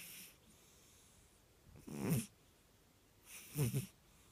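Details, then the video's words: A Burmese cat dreaming in its sleep makes breathy, rattling snores, two low gurgling breaths about a second and a half apart, with faint hiss between them. "Dreaming snoring kitty"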